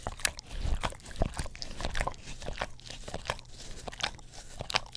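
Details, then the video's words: Pet English Cream Golden Retriever working its tongue over an Orapup tongue cleaner brush close to a Blue Yeti stereo microphone; sticky smacking clicks and slurps arrive unevenly, a few sharper snaps among them, in a quiet room. "Dog Licks Orapup Tongue Cleaner Brush - 1 Hour - English Cream Golden Retriever"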